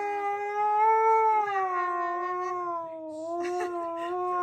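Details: Siberian Husky 'talking' back, angry at being talked over by its owner; a drawn-out harmonic howl that rises slightly, dips midway, then levels off, with some faint rustling and clatter behind it.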